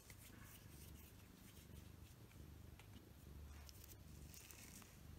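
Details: Short-haired pet cat purring steadily while being stroked with a grooming glove during shedding season; a low, rumbling, continuous pulsed purr with faint rustling of the glove on fur.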